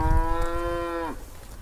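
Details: Angry cow trapped in an irrigation ditch beside a grass field, giving one loud, steady, deep moo with rich harmonics that holds level for about a second and then drops off sharply at the end, over low rumbling background noise.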